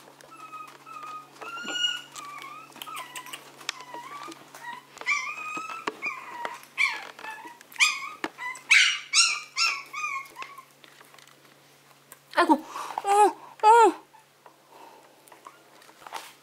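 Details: Maltese and Yorkshire terrier puppies indoors, high whining whimpers that rise and fall in wavering tones, several in quick overlapping bursts, then a louder cluster of squeaky yelps near the end.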